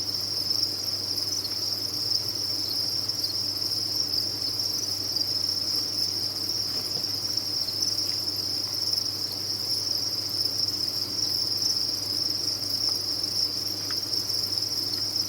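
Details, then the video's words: A crowd of crickets on a cricket farm producing a constant piercing chirp chorus, level and even from start to finish, with a soft low drone in the background. "Sound of a Cricket Farm"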